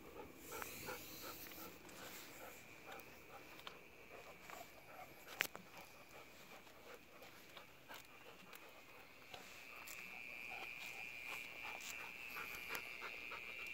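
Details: Mole cricket singing late at night from inside a sewer drain pipe beside a road near a home, met on a late-night walk with a dog; a steady, unbroken buzzing trill runs throughout, with a dog panting and scattered clicks and footsteps nearby.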